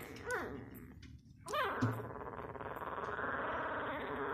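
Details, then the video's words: Labrador Retriever puppy, six days old, lets out two short, high squeaks that drop sharply in pitch, followed by a steady broad rushing noise. "6 day old labrador puppy"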